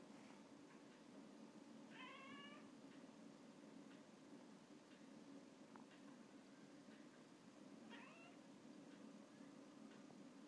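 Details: Russian Blue cat watching a fly: a quick burst of rapid, stepped harmonic chirps near the start, then one more brief chirp later, over a steady low background hum.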